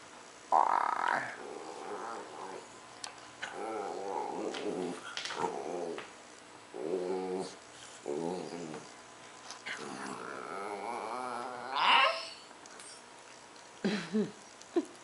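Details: A chatty female dachshund making drawn-out, groaning, growly vocalizations while itching her chin with her tail twirling in the morning indoors; several moaning bursts with rising and falling tones, interspersed with a woman's speech.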